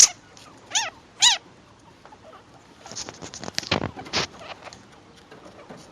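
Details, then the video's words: Baby chinchillas, around two weeks old, talking to their mother: a few high, sharp squeaks in the first second and a half, then soft rustling and scrabbling with faint ticking noises. "Звуки шиншиллы: маленькие шиншиллята говорят с мамой"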